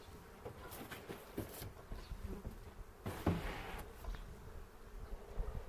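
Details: Honey bee hive opened for a spring 2018 inspection in foothills near Cochrane, filmed on a 360 camera: continuous droning buzz of many bees, interrupted by knocks and a louder rustling burst midway.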